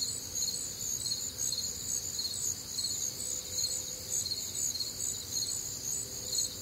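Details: Night chorus of crickets recorded on a warm, humid summer night in the Midwest: steady high-pitched pulsing chirps from many insects, overlapping in even bands, with quiet low background hum.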